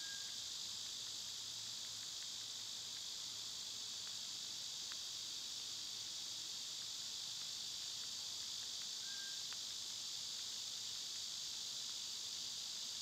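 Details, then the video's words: Summer cicadas fill the air with a dense, steady high buzz that stays even from start to end, while a couple of soft, short bird whistles and light clicks sound underneath. "Birds & Squirrels w/ Cicada sounds"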